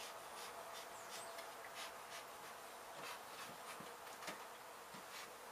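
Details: Honey bees buzzing at a hive hit by demolition crews at an abandoned home in Mission, Texas, during removal. A dense, even hum with faint rubbing and scraping sounds recurs every half second or so.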